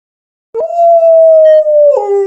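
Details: Alaskan Malamute howling as if talking with its owner: a single steady mid-pitched tone held about one and a half seconds, with a brief upward yelp at the start and a lower drop at the end, in quiet surroundings.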